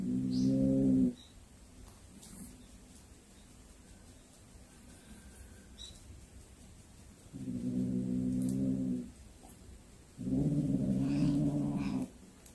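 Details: Cat that has brought home a hunted snake gives three drawn-out, low, moaning yowls, each one to two seconds long and rich in harmonics, separated by quiet stretches with faint room noise.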